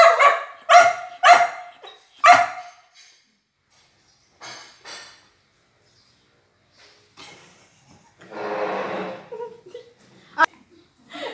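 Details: Talkative Border Collie during a food review, wanting her favourite chicken: four sharp barks in quick succession, then a pause, scattered softer vocal sounds, a longer whining noise and a single click.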